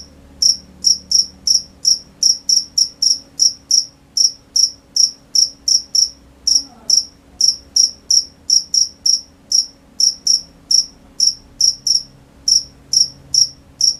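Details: Crickets at night: a steady series of short, high, bright chirps, roughly two to three per second, slightly uneven in spacing, over a very quiet background with a faint low hum.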